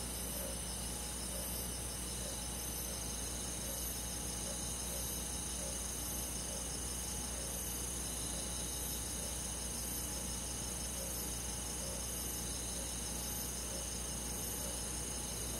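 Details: Summer-night crickets with other forest insects in the countryside, continuous high buzzing trills stacked in several pitches, faint regular pulses near the top, over a steady low background hum.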